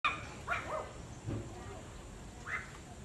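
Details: Shih Tzu and Husky dogs barking at their owner: a few short, sharp yappy barks near the start, middle and end, separated by quiet gaps with low room hum.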